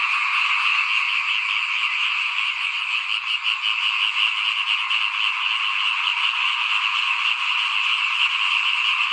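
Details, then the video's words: Frogs calling in front of a house as rice is sown for planting in 2021; a loud chorus of high croaks with a slightly pulsing, rapid rhythm of roughly three beats per second over a continuous drone. "เสียงเขียดร้องหน้าบ้าน ตอนหว่านข้าวเตรียมปลูกปี2021"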